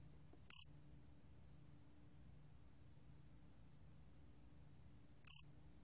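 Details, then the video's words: Korean bear cricket (gomgwiddurami), recorded by the National Institute of Biological Resources in 2020; two short, very high, rapidly pulsed chirps about five seconds apart over a steady low hum. "곰귀뚜라미, 여러번 듣기, 곤충소리"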